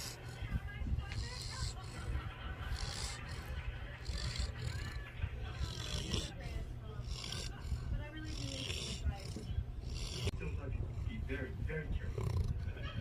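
A sleeping Great Pyrenees snores in deep, rumbling, uneven breaths, with what may be voices in the background.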